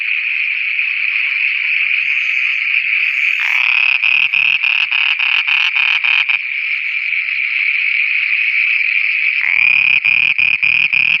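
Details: Frogs calling at night in Pakistan: a steady high shrill drone throughout, with two bursts of quick clicking pulses, the first mid-way and the second joined by deeper croaking toward the end.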